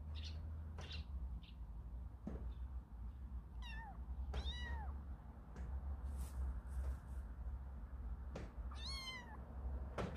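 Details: Four kitten siblings on their second day outside the house, fearful yet curious: thin, high meows with falling tails, three clear ones near four, four and a half and nine seconds, over a low steady hum.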